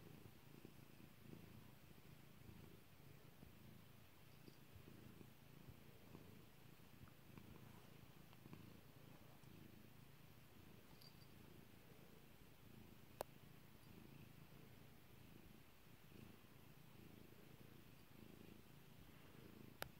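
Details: Domestic cat named Kairi purring while being petted indoors: a steady low rumble pulsing in slow cycles, with a few sharp popping clicks.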